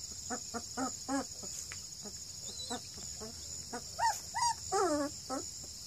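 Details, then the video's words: Barking and growling purebred Redbone Coonhound puppies, 2.5 weeks old, in Ontario: a string of short rough yaps at first, then louder rising-and-falling squeals near the end, over a continuous high hum. "Barking & growling Redbone coonhound pups at 2.5 weeks"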